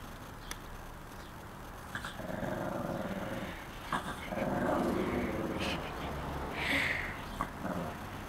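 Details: Puddles, a pet dog, watching pigeons, gives a low, rumbling growl-like grumble held for several seconds, a woman's voice urging her to tell the pigeons to move, faint background hum.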